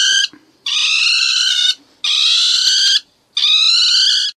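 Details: A ferret-badger gives four harsh, high, shrieking distress screams, as if calling for help, each about a second long and separated by short silences.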